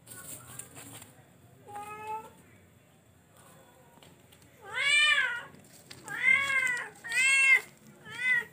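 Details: Charcoal F1 cat meowing: two faint harmonic calls early on, then four loud, arching, drawn-out meows close together in the second half, each rising then falling in pitch, in a quiet indoor setting.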